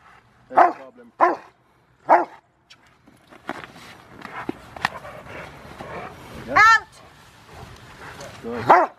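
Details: Bite training with a five-year-old male Rottweiler, River v Schwarzerwald, trialing for his ZTP, January 2020. Three quick loud barks open the clip, two more come later, and a trainer speaks in between.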